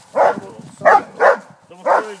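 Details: Armani, a 15-month-old Rhodesian Ridgeback confronting a wild boar, gives four loud, deep barks spaced roughly half a second apart, with a low background rumble between them.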